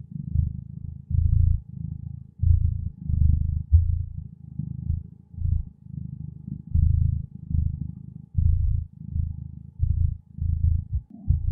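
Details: A contented cat purrs in a deep, rolling rumble, bursts swelling and fading with each breath about once a second, slightly uneven, ending with a brief higher sound.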